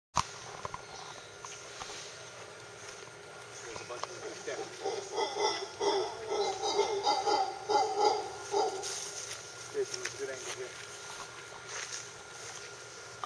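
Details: Howler monkeys at Tirimbina Biological Reserve give a burst of rough, pulsing roars that swell and fade over a few seconds.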